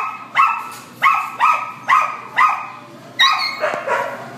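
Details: Black and tan Chihuahua at a shelter in Devore giving a run of sharp, high, tonal barks, about seven in quick succession roughly half a second apart, with a short pause before the last few.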